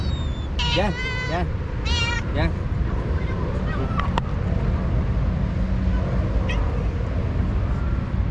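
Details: Stray cats on a cat island, two alpha cats leading rival groups fighting by talking while the others eat; several short harmonic meows and wavering calls in the first three seconds over steady low engine-like rumble.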